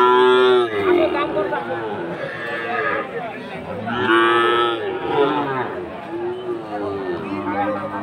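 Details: At Aftabganj market, Dinajpur, 4 March 2023, fattened Sahiwal bull calves low repeatedly: several deep, wavering moos rise and fall over eight seconds amid people talking and general market bustle.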